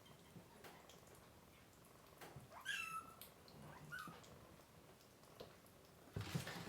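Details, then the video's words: Tiny kittens, one of three with their mother cat, being dewormed and hand-fed indoors. Two brief, high, thin crying mews mid-clip, with clicks and handling noise around them. "Too MANY Crying Baby Kittens!"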